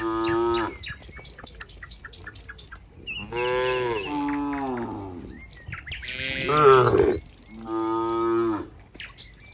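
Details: A group of cows returning together to the pen on a farm calls with four loud moos, steady and deep, one wavering and higher, while small birds chirp in the pauses.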